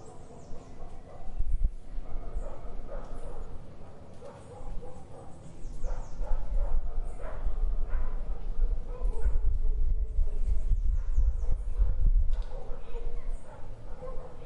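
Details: Barking dog in an urban Brazilian garden, scattered barks over a constant low hum of vehicles, with faint birdsong mixed in.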